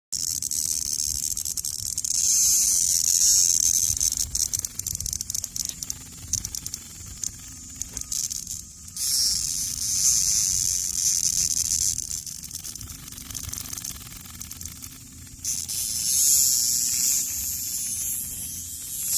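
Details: A cicada found on the ground gives loud, harsh buzzing bursts when picked up, rising and falling in several long pulses.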